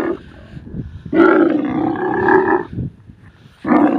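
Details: Camel of the desert letting out a long rough bellow of about one and a half seconds, framed by shorter gruff roars at the start and end, with a quiet low rumble in the gaps.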